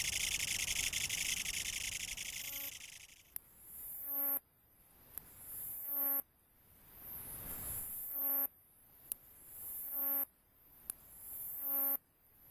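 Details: Kutsuwamushi katydid singing in autumn: a loud, harsh, continuous buzzing rasp opens, then breaks into rhythmic buzzy bursts repeated roughly once a second, each a dense rapid pulse train with a sharp click between bursts.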